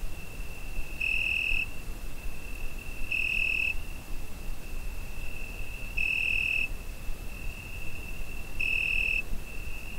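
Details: Zoom H5 recording of a cricket on a summer night: an unbroken shrill trill punctuated by four louder ringing bursts at uneven gaps of two to three seconds, with quiet low-frequency background noise.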